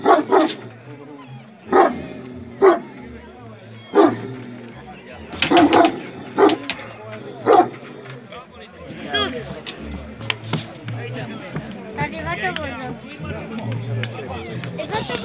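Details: Aggressive Bucovina Shepherd Dog, aged 1.4 years, recorded in 2017; a series of deep single barks spaced one to two seconds apart, then human speech and chatter over softer dog sounds.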